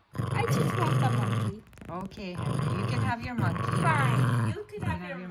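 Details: Jack Russell Terrier guarding a stuffed monkey toy indoors: a low growl runs through two long stretches split by short pauses, with a woman's voice mixed in.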